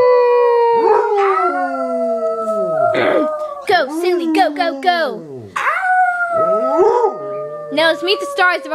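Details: Yorkie poodle Annie and Basset Hound Silly howling continuously, overlapping drawn-out tones with sharp rising and falling yips and whines woven through, a voice mixed in among the dogs.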